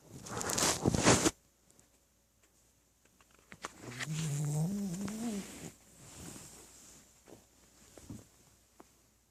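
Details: A pet dog named Tebow asleep and snoring: after a loud rustle, one long, low, wavering snore rises slightly in pitch, followed by softer, breathy exhalations in a quiet room.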